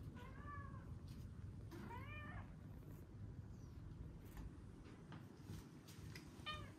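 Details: Pet otters indoors, one a young male who joined the household at nine months, as one pushes the other down and mounts him: a few faint, thin rising-and-falling squealed calls, three short bursts spread over several seconds against a low room rumble.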